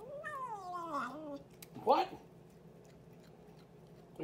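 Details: Boots, a cat, talking: a long wavering meow lasting over a second that dips and rises before trailing down, followed by a short sharp chirp-like burst, then quiet room hum and a brief sound at the end.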